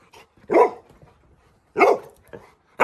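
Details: Little John, a pet Labrador Retriever, woken in the bedroom for a midnight walk, gives two sharp, loud barks about a second apart, with a softer yip between and quiet gaps around them.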